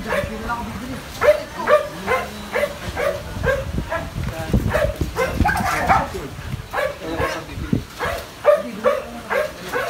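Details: Belgian Malinois Phola, nearly two years old, barking in a fast, uneven series of clipped barks, while a person talks in the background throughout.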